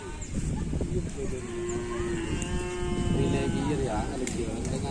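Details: Cattle at a Kerapan Sapi bull race training session on the Asemanis field, 6 November 2022, ahead of an anniversary race: a long, steady, tonal moo held about two seconds over crowd chatter and outdoor bustle.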